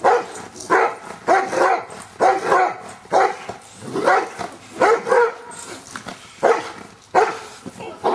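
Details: Luther, a Giant Schnauzer, barks steadily during Schutzhund work getting used to stick hits, loud rough barks in quick clusters of two or three with brief gaps.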